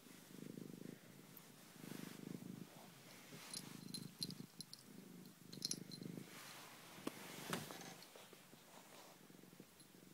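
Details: Domestic cat, worn out after playing with a blanket, purring indoors: low rumbling bursts that swell and fade with each breath, roughly every one to one and a half seconds, with brief gaps and faint clicks and rustles between.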